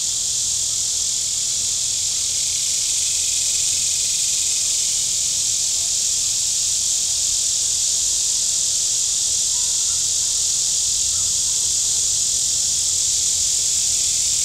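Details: Shoreline cicadas at Table Rock Lake, southern Missouri, on a hot Saturday with boats out, keep up a continuous shrill droning wall of sound, even and unvarying, over a very faint low hum.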